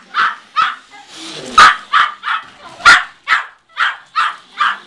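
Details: Midas Muffler, a tiny Yorkshire Terrier about one year old weighing 4.5 lbs, barks while chasing a car: sharp high yappy barks repeated roughly every half second, about ten in a row, with a brief human voice in the middle.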